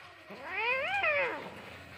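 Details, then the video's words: One angry cat's single drawn-out yowl during a fight, rising then falling in a smooth arch lasting about a second, clear against a quiet background. "Deadly fight between cat🐈 angry cat😾"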